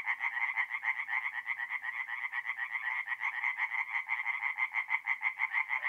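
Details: Night chorus of singing tree frogs at a forest pond in north-east Italy in mid-April: quick, nasal, evenly pulsed croaking from many frogs overlapping into one unbroken rasping texture.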